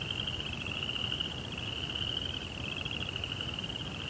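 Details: Nocturnal crickets producing an unbroken high, buzzy pulsed trill at steady volume, with a weak lower band and soft low-frequency background noise.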